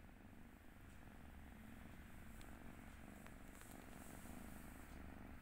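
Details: Eleven-week-old Turkish Angora kitten dozing in its new home, a quiet continuous low purr pulsing evenly beneath a hiss of room noise and a few faint ticks.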